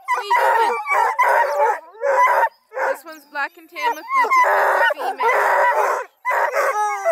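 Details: Several registered Bluetick, Redbone and Black and tan coonhounds from a breeder near Kingston, Ontario, Canada, trained to run deer, moose, coyote, rabbits, coons and wild cats, bay and howl together in loud overlapping bursts, with brief gaps between.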